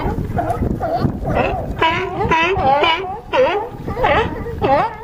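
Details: California sea lions on a harbor dock at Crescent City, California, producing a run of harsh, wavering honking barks roughly twice per second, strongly harmonic and overlapping from several animals.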